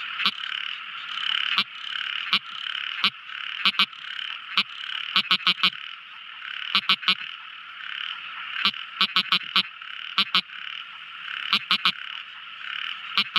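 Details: Tiny frog singing at night with short percussive clicks, alone or in rapid bursts of up to four, repeated irregularly over a steady buzzing chorus of night callers.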